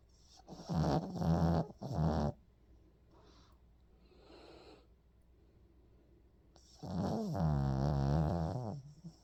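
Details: Sleeping pet Pomeranian dog snoring: two loud rasping snore bursts in quick succession, a quiet breathy pause, then a long rattling, buzzy snore near the end.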